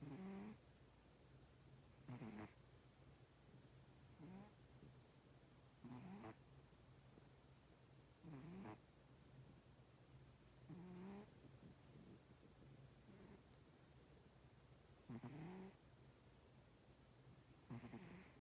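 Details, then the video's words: Snoring from a sleeping cat: a long series of raspy, buzzy breaths about every two seconds, some louder than others, with a steady low hum underneath throughout. "Snoring cat!"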